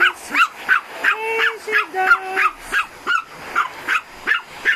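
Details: Pomeranian and bull terrier reacting to a vacuum cleaner, giving rapid shrill barks roughly three per second in a steady run, while a person's sung sustained tones drift through the middle.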